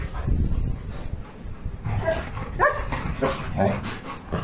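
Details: Pet Labrador Retriever making short, high whimpering yelps with quick rising-and-falling tones, clustered in the second half, while a person talks nearby and there is some indoor rustling.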